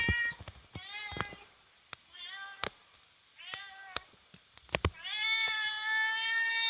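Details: House cat wanting to catch a cicada beyond the window meows repeatedly, with short, quick calls at first and then a longer, louder, plaintive meow at the end, mixed with sharp tapping clicks and faint room noise.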